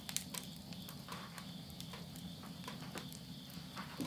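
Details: Insect voices at the end of summer near midnight in rural Yurihama, Tottori, Japan, September 2020. A constant high buzzing whine carries on underneath, while a stove fire crackles and pops repeatedly in the foreground.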